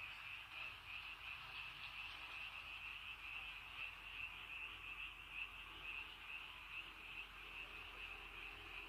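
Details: Evening frog chorus in rainy countryside: many frogs calling together in a steady, high, rapidly pulsing trill that never pauses, forming an unbroken wall of sound.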